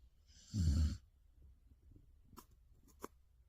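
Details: Ga Eul, a sleeping Samoyed, gives one short low rumbling snore with breathy hiss, followed by faint soft clicks and small breathing noises in a quiet room.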